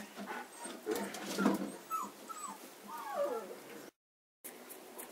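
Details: Kuvasz puppies aged 35 days give soft, high whimpers that slide downward, several thin whines in a row, with a person's voice and handling noises in the background.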